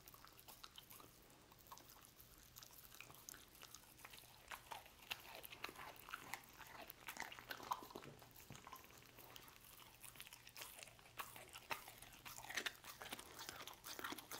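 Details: Lucy the dog chewing roast beef indoors: steady moist mastication with crisp crunches and smacking bites, dense and continuous throughout, with a faint low hum beneath.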